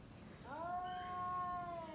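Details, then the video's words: Domestic cat caterwauling while facing another cat before a fight: a single loud, drawn-out yowl that rises briefly, then holds a steady, clear tone for over a second before tailing off. "Kucing Ngobrol Sebelum Tarung | Cat Fight | Suara Kucing"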